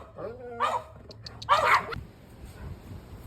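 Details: Three excited sibling dogs of different breeds at home in barking mode; two loud barks about a second apart, the second harsher, followed by quiet with faint background noise.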